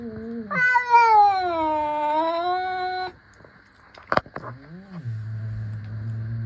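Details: Two playful cats facing off with stares and paw swipes; one gives a long, drawn-out rising-and-falling meow lasting about two and a half seconds, then a brief thud and a shorter, lower meow.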